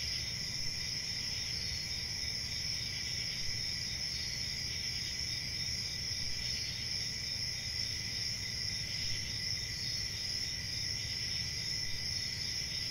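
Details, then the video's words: Steady high-pitched chirping of many crickets merging into one shimmering drone, unchanging from start to end, over a muted low hum. "Cricket Sounds"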